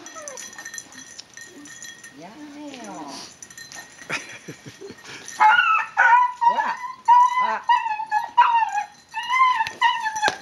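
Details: Dog taking refuge from another dog's persistent attacks, giving high, tonal whining yelps, each bending up then down, repeated roughly once a second in the second half; people talk and clap beforehand.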